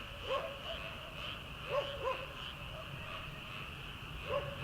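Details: Frogs in a rice paddy at the start of summer, before transplanting: scattered croaks, some paired, spaced one to two seconds apart against a constant high-pitched chorus and low background noise.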